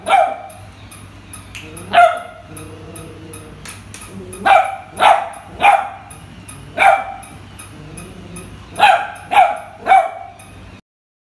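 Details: Frightened beagle puppy Kuttus reacting to a puppy toy with spaced, yappy barks, single or in pairs and triples, with quiet gaps between them; a low background hum and faint regular ticking run throughout.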